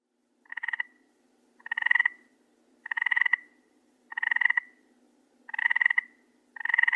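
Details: Frog croaking at night: a series of six raspy, pulsed croaks, each about half a second long, repeated roughly every 1.2 seconds against a faint low hum.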